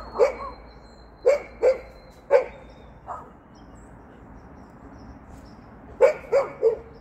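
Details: Golden retriever hopping about, giving short, sharp barks, mostly in quick pairs: two at the start, a pair and a single near the middle, a fainter one after, then a quiet stretch before a final run of three.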